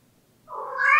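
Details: Latte, a pet cat, gives the pleading "ang-ung" cry it makes about once a day, often in front of doors. A single drawn-out meow swells and rises in pitch, growing louder until it cuts off, in a quiet indoor room.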